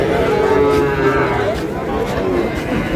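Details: Sahiwal bull calves at the traditional Ambari cattle market in Parbatipur, Dinajpur, on Monday 1 June 2026: a drawn-out, tonal moo with a slight pitch wobble, over a steady murmur of market voices.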